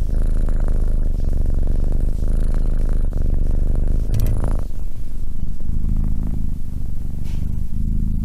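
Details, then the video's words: A purring cat, deep buzzing rumble in steady pulses, with a short burst of rustling handling noise midway before the purr settles again. "Cat purring"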